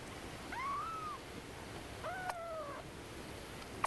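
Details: Newborn kittens, four born the day after their pregnant mother, a community cat, was caught; fostered indoors. Two thin, drawn-out squeaks, each rising then gently falling, about a second apart, over a soft hiss, with a sharp click at the end.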